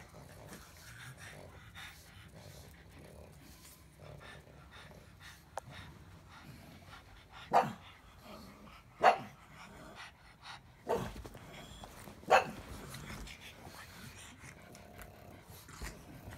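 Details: Pug grumbling through a long run of low rumbles and snorts, broken by four short, sharp barks that come every second or two near the middle.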